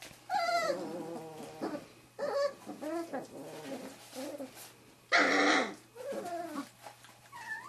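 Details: Three-and-a-half-week-old Wirehaired Pointing Griffon puppies of Bluestem Kennels' 2013 "E" litter, meeting bird scent for the first time, make broken whimpers and sliding squeaks, with one loud, harsh squeal midway.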